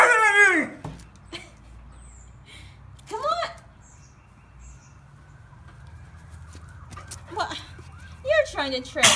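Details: A Siberian Husky pup refuses to come inside and answers back with several brief whining, yowling vocalizations spread over about nine seconds. A man coaxes it between calls over a steady low background hum.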